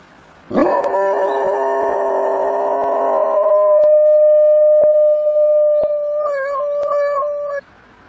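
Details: A dog howling: a loud, long sustained tonal note held for about three seconds, then a steadier thinner tone that wavers and quivers near the end before stopping abruptly, with a few faint clicks.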